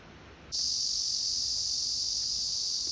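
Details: Cicada recorded by the filmer, species not named: after half a second of quiet, a loud, steady, high-pitched continuous buzz starts suddenly and holds without a break.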